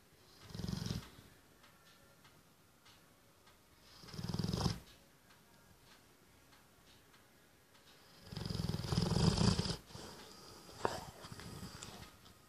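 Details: Female Labrador Retriever snoring very loudly while asleep: three deep, rasping snore breaths spaced about four seconds apart, the third longer and fuller than the first two, with quiet gaps between.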